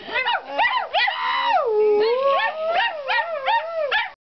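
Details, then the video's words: Domestic dog howling along with a woman; long wavering, harmonic wails that slide up and down in pitch, with dog and human voices blended together. "dog woman howl"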